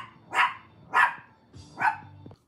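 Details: A pet Chihuahua at home gives three short, sharp barks spaced about half a second apart, each a bright burst, over a quiet room with a faint low hum at the end.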